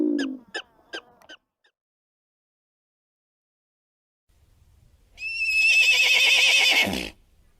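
A mustang gives a few short snorts and clicks, then a loud, shrill whinny lasting about two seconds that quavers steadily and drops low at the end.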